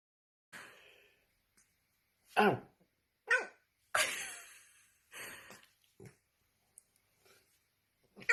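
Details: Domestic dog filmed for a funny TikTok clip, barking in a run of short, sharp, harsh barks, about six spread unevenly over eight seconds, separated by near-silent pauses with faint breathing between.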